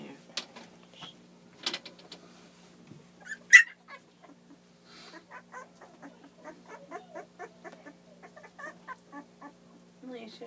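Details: Two-week-old puppies from the litter of Bree and Zarek making a run of soft, rapid squeaks and whimpers through the second half, after a few scattered louder squeals and rustling near the start.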